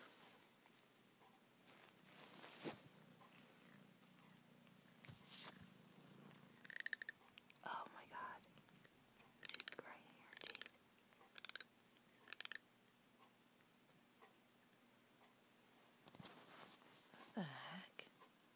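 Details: Female cat grinding her teeth while not chewing anything, her teeth possibly hurting her: a cluster of sharp, dry clicking and scraping bursts midway, with a person speaking softly nearby.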